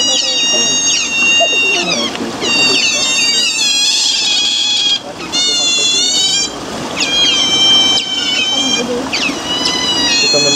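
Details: Eurasian otters, a lively group kept at Zoo Basel, Switzerland: loud, high-pitched whistled squeals in rapid bursts, many sliding down in pitch, overlapping calls nearly continuous with short pauses.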